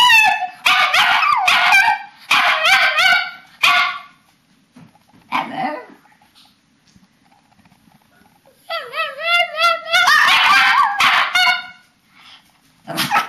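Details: Papillons and a shih-tzu at bedtime, March 2007, giving bursts of yodelling howls, then near silence with faint sounds, before another run of warbling, overlapping howls and yips; a person's voice briefly heard.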